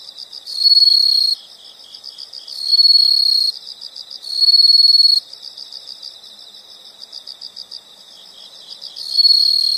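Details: High-pitched insect trills come in four loud buzzing bursts, roughly one every two seconds with a longer gap before the last, over a bed of quieter, rapidly pulsing chirps.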